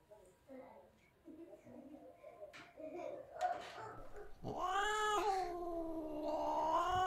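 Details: Cat in a collection of cute, funny cat moments. Quiet rustling and faint voices lead into a loud, long, whining meow that swells and bends upward, sustained to the end.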